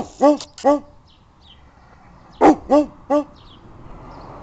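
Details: Elderly Hungarian Kuvasz giving warning barks without biting: two resonant barks, a pause of about two seconds, then three more spaced evenly, over a low background hum.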